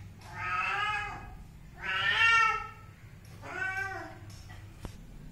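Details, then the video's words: Three drawn-out kitten meows, each about a second long, bright and wavering with a slight fall at the end, evenly spaced with short pauses, plus a brief click near the close. "anak kucing meong-meong | anak kucing meow | bunyi anak kucing meow"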